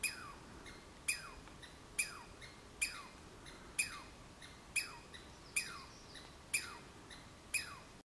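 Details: A Douglas squirrel (Tamiasciurus douglasii) on the Olympic Peninsula gives sharp, harsh chirps that slide downward, repeated about once a second.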